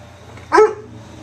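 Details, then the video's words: Weimaraner dog vocalising when ignored: one short, loud, clipped bark or yip with a slightly rising tone, over low room hum. "Don't Ignore a Weimaraner"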